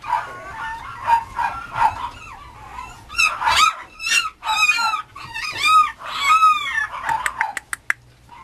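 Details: Mame Shiba Inu puppy at a breeding kennel, giving a run of high, arching whines and yelps that rise and fall, several loud cries in the middle and quick sharp yips near the end.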